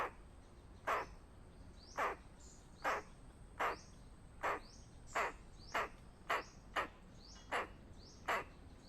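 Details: Squirrel giving a warning call of danger: about eleven short, harsh, explosive chucks, roughly one per second, some followed by a quick rising squeak, over a faint steady high hiss.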